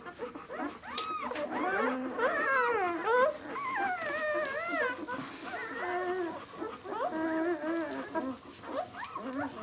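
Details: Newborn White German Shepherd puppies, six days old, B litter "of White Night", give continuous overlapping whines and squeals that rise and fall in pitch, several pups crying at once.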